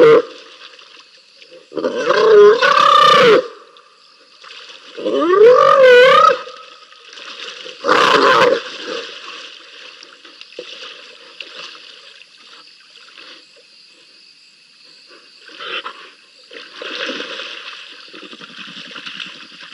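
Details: At Rosie's Pan, two spotted hyenas scrap in the wild: three loud rising whooping squeals in the first half, then only low growls, rustling and faint background hum.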